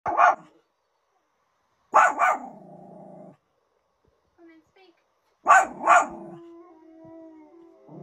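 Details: A Pomeranian barks at the television, giving sharp, high yappy barks mostly in quick pairs, with TV sound behind.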